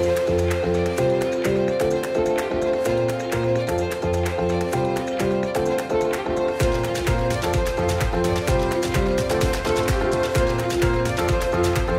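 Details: Bowed violin melody over steady instrumental backing with a regular pulse, no animal voices audible.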